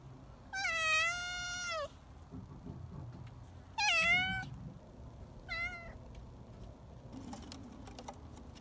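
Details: Domestic cat in the afternoon, just woken from a nap on a garage roof: three clear, drawn-out meows, the first two long and level with a falling end, the third short, spaced a few seconds apart in a quiet setting.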